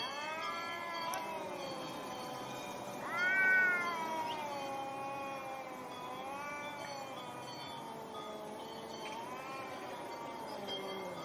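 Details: Angry cats fighting over territory: long, drawn-out wavering yowls with rich harmonics, swelling and sharply rising near the fourth second before sliding slowly down again, with faint steady chime-like tones behind.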